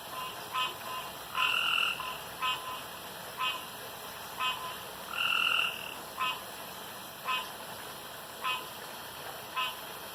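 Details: Male frogs calling at a pond after dark, competing by croaking loudest and longest; sparse short clicks spaced about a second apart, with two longer whistle-like tonal notes standing out, steady background hiss.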